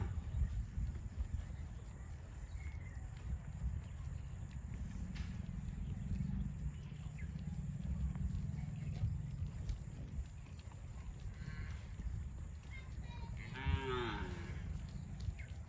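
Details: Cattle on the way to a rural field, with a rich harmonic moo late in the recording and a fainter one just before it, against constant low rumble and scattered knocks.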